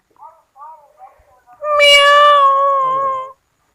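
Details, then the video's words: Kittens at home: a few short, high, chirping mews, then one loud, long, drawn-out meow held steady for nearly two seconds before stopping. "Beautiful funny kittens sounds in home##cats voices##"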